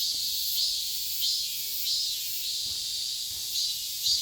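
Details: Chammaemi cicada singing in summer, when the species begins calling and keeps on all season; a harsh, high, hissing buzz swells in short pulses roughly every half second, slightly uneven, over a steady shrill background drone.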